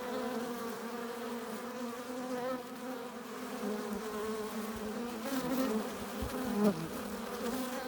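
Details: Honey bees at a hive entrance, foragers arriving with nectar and pollen; continuous low buzzing drone with overlapping wingbeat tones, individual bees rising and falling in pitch as they fly close.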